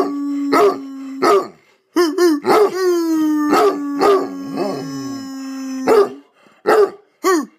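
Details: A hound gives loud, harmonically rich barks over a long, steady howling tone as its owner tries to get it to howl along.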